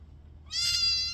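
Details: Kitten cuddling with a person. One loud, bright, high meow starts suddenly and holds a steady pitch, rich in overtones, for over half a second.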